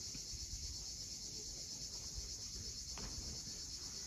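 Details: Crimean coastal cicadas at sunset near Cape Fiolent make a steady, dense, high buzzing that never breaks, with low murmuring waves and a faint brief click underneath.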